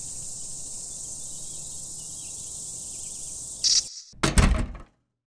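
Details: Brood X periodical cicadas emerging in 2021 after 17 years fill the air with an unbroken, high, hissing drone holding steady for several seconds; near the end the chorus cuts out and two sharp thumping knocks follow.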